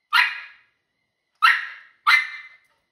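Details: A female Miniature Schnauzer puppy gives three sharp, mid-pitched barks at birds in the backyard, one and then, after a pause, two in quicker succession.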